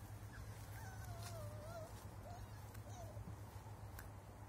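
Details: Cocker Spaniel puppies, recorded on 16 August 2021, give soft, thin whines that waver up and down in pitch.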